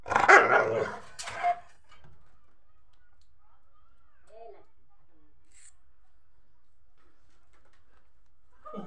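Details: Rottweiler. A Rottweiler puppy lets out two quick, high, yelping barks in the first seconds. Afterwards only faint scattered noises and near silence follow.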